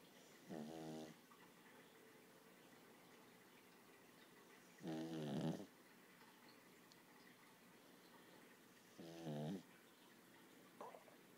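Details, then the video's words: Six-month-old Lhasa Apso puppy asleep, snoring in three slow, rasping, harmonic bursts about four to five seconds apart, each lasting roughly half a second, in a quiet room. "cute puppy Snoring lhasa apso"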